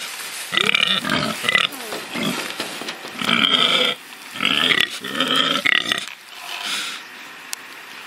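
A pig gives harsh, nasal grunts and squealing snorts in bursts about a second long.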